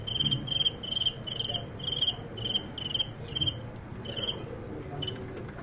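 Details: Crickets kept for fighting chirp in sharp, high bursts about twice a second, eight in a row, then a pause and a few more. Low indoor hum lies underneath.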